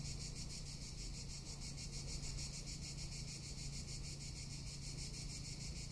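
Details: Cicadas calling in summer in Tuscany, a dense continuous buzzing high shrill pulsing rapidly and evenly, with a steady low rumble beneath.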